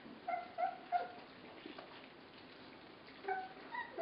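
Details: Young puppies, 24 days old, at a feed give a quick trio of clear, whistle-like yips, then a pause before two more rising squeaks.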